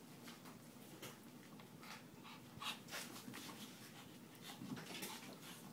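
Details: Shih Tzu and pug mix, a foster dog, panting during play indoors; quick breathy huffs come about three per second, soft and unevenly spaced, with a few louder bursts near the middle and end.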